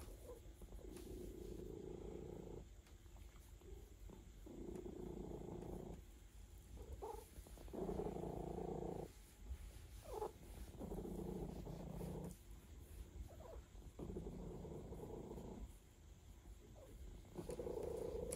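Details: Massaged domestic cat purring in a relaxed state, a low rumbling purr coming in repeated waves of two to three seconds separated by brief breaths, with a deep background hum throughout.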